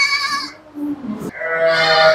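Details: Goat and her kid on a goat-breeding farm in Bhiwandi; a loud, harmonic, wavering bleat at the start and another from about halfway to the end, with a man's brief speech between.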